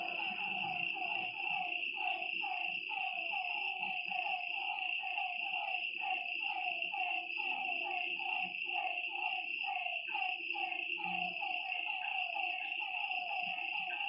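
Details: Frogs calling at night by a lakeside, a steady run of short mid-pitched notes about once a second over a continuous high, shrill insect drone.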